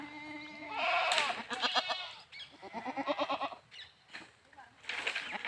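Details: Goat calls: a short harmonic bleat first, then quick quavering, pulsed bleats in bursts, broken by short pauses.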